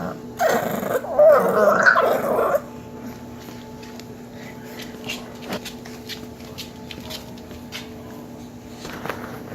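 An English Bulldog puppy lets out a short run of throaty, wavering grumbles and moan-like 'talking' sounds lasting about two seconds. Afterward only faint background hum and a few soft clicks remain.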